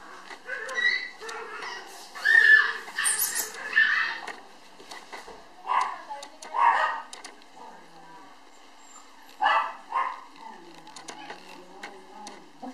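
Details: Black male puppy, born November 10 and filmed January 9, 2013, gives short high yips and whining whimpers in uneven bursts, loudest early on, with human voices talking over and between the calls indoors.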